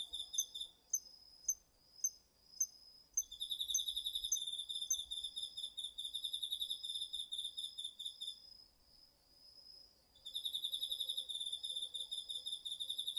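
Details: Crickets and other autumn insects singing in a home garden, recorded on a DR-40X. Separate sharp high chirps sound about twice per second, then a dense pulsed trill takes over, drops away briefly, and resumes.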